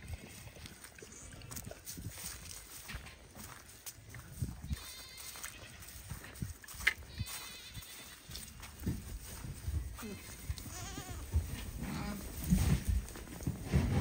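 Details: Registered pygmy goats on a farm in Knoxville, Tennessee, USA, calling for their dinner: several short wavering bleats, some overlapping, rising from a steady background of rustling, shuffling and low thumps.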